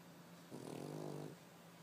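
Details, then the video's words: A three-year-old white male Pekingese snoring loudly while asleep: a single rasping, buzzy snore lasting under a second, over a steady low background hum. "Snoring Pekingese"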